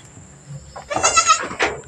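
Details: On a mini farm after Mama Brown's delivery of two kids, one black female and one brown male, a loud, bright, trembling goat bleat lasting about half a second, followed by a shorter second bleat.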